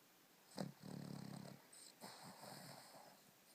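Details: Two-year-old Cavalier King Charles Spaniel snoring while asleep and dreaming: a sharp snort, then a low buzzing rasp of about a second, followed by a softer breathy exhale.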